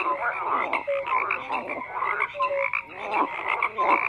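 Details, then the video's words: Many frogs croak together: a constant bed of grating, pulsing calls, punctuated by short bright piping notes and a few longer flat tones. "FROGS CROAKING"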